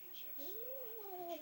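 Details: Pet cat named Chloe, indoors, gives a quiet, drawn-out, wavering meow that rises and then slowly falls, with a faint higher overtone. A person speaks just before and after.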